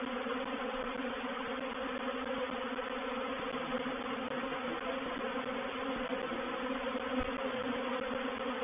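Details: Reproductive swarm of honey bees moving into a bait hive (swarm trap) at Painted Peacock Manor on 04/07/21; a dense, steady droning hum with strong low tonal bands, continuous throughout without pauses.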